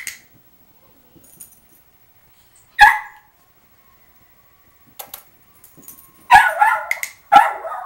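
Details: Crated foster puppy protesting indoors while getting used to its crate: an isolated sharp yelp, a pause with faint rustling, then two longer ragged, wavering cries close together at the end.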